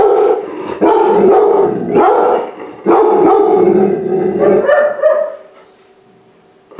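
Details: Rescued large-breed puppy, pulled from a high-kill shelter hours before euthanasia, inside a home for the first time; drawn-out, wavering harmonic whines and howls in long bursts, broken by short pauses, then quiet at the end.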